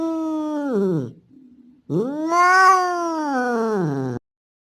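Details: Male street cat's mating call to a female in heat: a drawn-out, wavering yowl that falls away, a soft low murmur, then a longer caterwaul rising to a strained peak and slowly sinking; indoors, no other noise.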